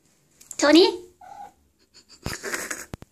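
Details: Domestic cat vocalizing indoors, as it does when its name is called or when it wants something: one loud, harmonic, chirping call, then a fainter short tone, followed by noisy clattering and possible voices.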